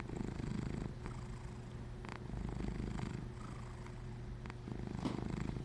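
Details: Plump little cat snoring: steady low rumbling purr-like snore, fast pulsing throughout with soft rhythmic breaths, a few faint clicks.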